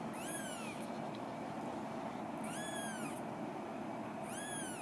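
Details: Eleven-day-old female Scottish Fold kitten at an Osaka breeder's, 3 February 2017, giving three high-pitched rising-then-falling mews spaced about two seconds apart against constant low hiss.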